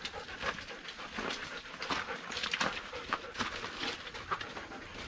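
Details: Panting breaths from KIKI the Doberman Pinscher or MESSY the German Shepherd, hiking off leash up a mountain on their first visit there; soft hissing puffs in an uneven, rapid rhythm, with faint outdoor background.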